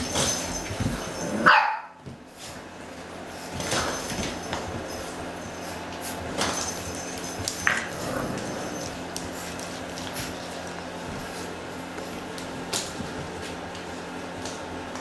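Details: Six-week-old Boxer puppies in a litter at play, giving a sharp high yelp early on, then scattered short barks and whimpers amid steady scuffling and clattering indoors.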